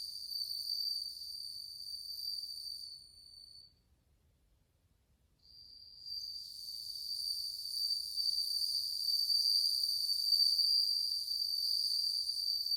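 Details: Bell crickets, many of them, August 2020, producing cool tones: a high ringing trill with overtones breaks off near four seconds, falls silent briefly, then resumes and grows louder through the rest.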